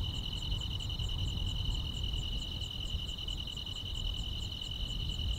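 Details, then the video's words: Grass insects chirping on a summer night: a steady, unbroken high trill runs throughout, with a fainter, higher ticking pulse repeating about three times a second, over a low rumbling background. "여름밤의 포근한 풀벌레 소리"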